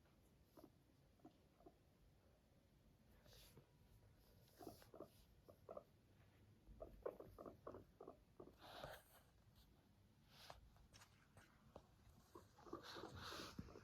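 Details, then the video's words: A Sheltie or Silkie guinea pig named Max purrs softly around a yawn, a low rumbling vibration broken into quick, uneven pulses. "Cute yawning and purring of a guinea pig."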